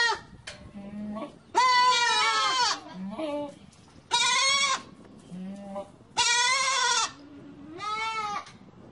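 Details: Goat bleating: four loud, harmonic-rich bleats, each about half a second to a second long, some wavering and slightly falling, with softer, lower, steady calls between them.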